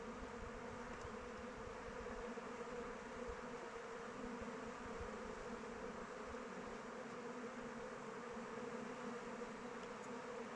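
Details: Around a beehive in open weather, flying honey bees make an unbroken, level buzzing drone with a rich low hum and faint higher whine, no other animals or voices heard.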